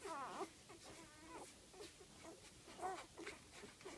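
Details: Golden retriever litter of eight, five days old, sired by Dainty's Flamboyant out of Flexibelle du Bois de la Rayere, born September 17: soft, quavering whimpers and short squeals come in scattered bursts over a faint hiss.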